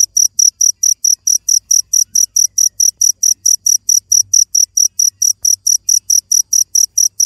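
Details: Cricket chirping in a steady, fast series of short, high, shrill pulses, about four per second, with faint low rumble underneath.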